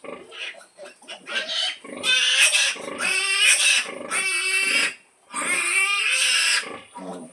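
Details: Mother pig calling her piglets at feeding time. Loud, strained, harmonic squeals run in long bursts of one to two seconds, with short grunting notes before them and brief pauses between.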